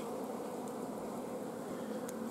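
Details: Apiary recording from 14 June 2016: honey bees in a hive lacking forage, queen blocked and no eggs accepted. A continuous droning buzz of the massed colony, even in pitch, with a faint brief tick near the end.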